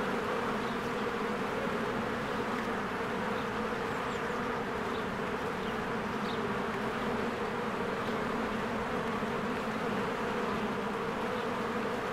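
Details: Honeybees working at their hive in spring, swarming in and out; a continuous buzzing drone with stacked low bands, and occasional short, thin bird chirps high above.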